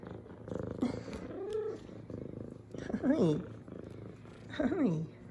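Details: A female F2 Savannah cat purring while greeting her owner with headbutts; a continuous low purr runs under repeated spoken greetings, with a few short rising-falling voiced sounds and handling noises.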